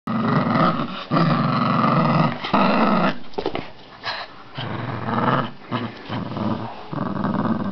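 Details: Almost 8-week-old male whippet puppy growling while playing tug-of-war with a chain of sausages: loud, rough, low growls lasting one to two seconds each, broken by short pauses and scuffling.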